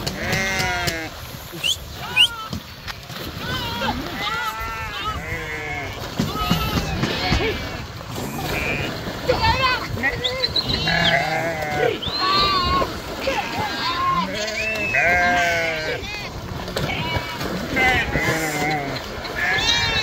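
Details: Sheep swimming across the Krishna river, a flock calling over and over: wavering, nasal bleats overlapping one another at varied pitches, with constant splashing and water noise underneath.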